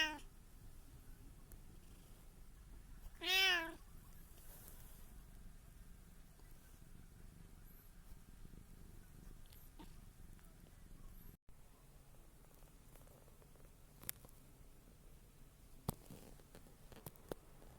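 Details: One of three house cats, a tabby, a short-legged Munchkin and an Abyssinian, recorded on 24 December 2023: a single loud, short meow that rises then falls early on, followed by a quiet room with faint scattered clicks.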